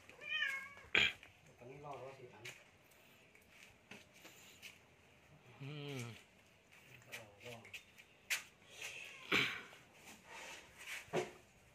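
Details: Cat at feeding time making a few wavering, drawn-out meows in a low, throaty voice, separated by pauses, with sharp clatters and knocks and some soft rustling around them.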